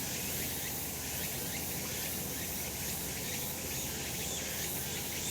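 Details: Sunlit summer mountain full of cicadas, filmed last month: an unbroken wall of hissing, buzzy insect sound sitting high and steady, with faint pulsing and a soft low background hum.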